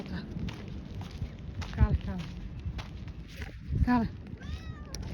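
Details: Somali cat in Hargeisa: one short, drawn meow bending downward near the end, then a brief higher rising squeak, over low rumbling background noise with footsteps and faint human voices.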